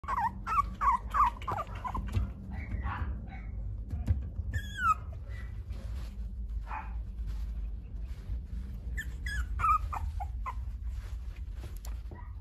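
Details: French Bulldog at a dog breeder's in Okayama, Japan, giving high, thin whimpers and yelps in quick clusters, some sliding down in pitch, over a steady low rumble of background noise.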